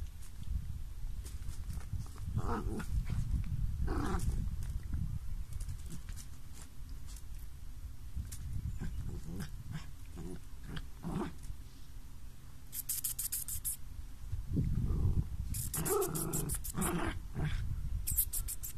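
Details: Small dogs playing together give broken, low growling grumbles in short irregular bursts, with sharp crackling rustles near the end.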